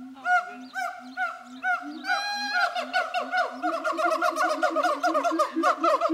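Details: Zoo siamangs at Zooworld hooting and shouting at each other: rapid overlapping barks and deep booming notes, with a brief rising scream partway through, building into a fast, crowded chorus.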